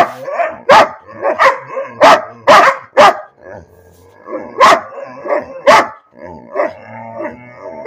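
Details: Bean the dog barks without cause, a dense series of loud broadband barks in two bursts, mixed with lower whining, yodel-like vocal sounds in the gaps.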